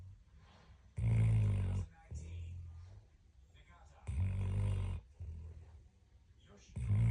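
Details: A sleeping dog snoring indoors: two loud, rasping inhaled snores about three seconds apart, each lasting nearly a second, with softer breathy exhales between them.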